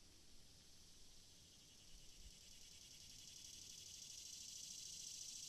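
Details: Cicadas produce a dense high buzz that grows gradually louder and brighter over the seconds, a sustained rasping hiss with a few soft low thumps partway through.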